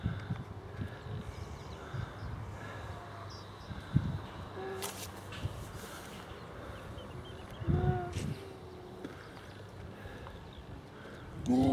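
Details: Grey seals on the beach at Donna Nook, Lincolnshire coast, where they pup during October to December, give drawn-out, mid-pitched moaning wails a couple of seconds apart over a steady low rumble of wind and surf.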